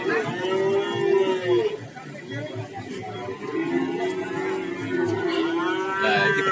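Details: Cattle at the Warujayeng livestock market in Nganjuk, Indonesia, with breeds such as Brahman and Limousin on sale: drawn-out lowing moos repeat across the clip over steady crowd chatter and voices.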